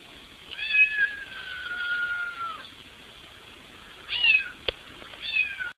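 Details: Cat trying to fit through a window to get inside the house, giving a long wavering meow followed by two shorter falling meows, with a sharp click between them.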